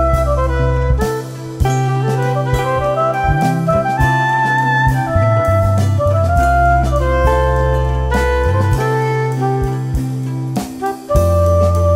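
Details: A jazz piece plays throughout, led by saxophone over a steady bass line and drums. No animal voices can be picked out.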